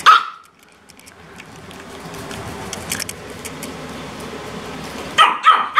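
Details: A Chihuahua indoors gives a single sharp, high yap, then after a quiet stretch three quick shrill barks as it barks at and chases another Chihuahua; a green-cheeked parakeet joins in.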